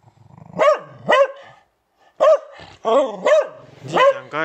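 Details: Will the Beagle, a house pet, barks six times: two quick arched barks, a short pause, then four more in a ragged series. A voice is briefly heard.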